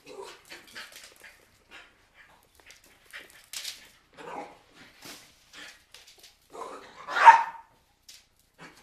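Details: Cairn Terriers with a storm approaching give scattered short yaps and whines, ending in one sharp, louder bark.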